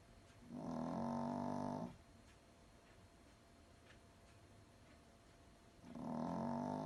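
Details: A little toy poodle in deep sleep snores gently: one long, raspy, rumbling breath of over a second, then a quiet pause before the next snore begins near the end.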